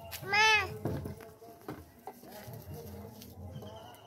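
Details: Baby goat kid playing with a human baby: one loud, high, wavering bleat lasting about half a second near the start, followed by quieter rustling and soft handling noises.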